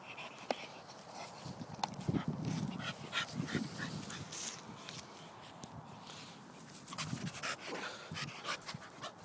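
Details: Staffordshire Bull Terrier at play, giving low rumbling growls in short bursts between about two and four seconds, with sharp clicks and rustling handling noise scattered throughout and quieter breathy stretches.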